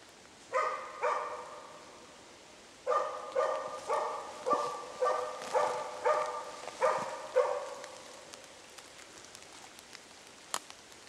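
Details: Swedish moose-hunt dog Zakko barking at bay at a cow and calf: two barks, a short gap, then a string of about nine evenly paced barks, followed by quiet with scattered small taps.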